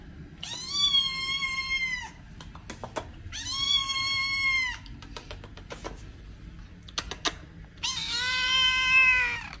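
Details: Kitten meowing, used to attract cats or make them react: three long, even meows about two seconds each, the last higher and harsher, separated by short clicking and tapping sounds in a quiet room.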